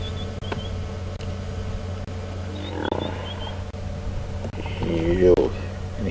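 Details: Two hippopotamuses in apparent conflict at a dam, Djuma Game Reserve, South Africa, on an afternoon drive, 10 April 2015: a deep, rumbling growl over a steady low drone, with a person talking.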